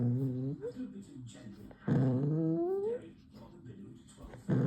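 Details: Poodle puppy making funny noises, shifting from angry to cute: a low, harmonic growl, then a growl that bends upward into a rising, whiny moan, then another short growl, indoors.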